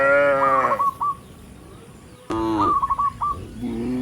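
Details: Tame cattle in a herd heading up a rural road to the barn, calling other cattle: two short moos separated by a quiet gap, each followed by quick repeated chirping notes.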